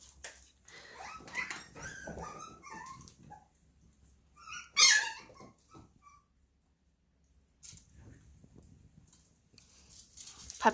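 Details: Young poodle puppy shrieking at the sound of its meal being served, in a small room: bursts of high, harmonic whining and yelping, one sharp piercing squeal near the middle, then quieter rustling and brief yelps.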